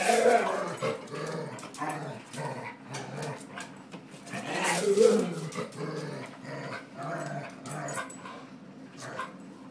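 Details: Domestic dog, angry and resisting being pushed around, growling steadily for about ten seconds: a deep throaty rumble broken into irregular surges, loudest near the middle, with occasional quiet human speech.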